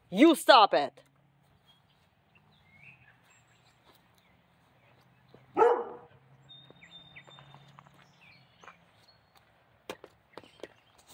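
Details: Central Asian Shepherd Dogs fence fighting, a quick burst of three harsh barks at the start, then a single bark near six seconds, over a low steady hum with scattered clicks and knocks.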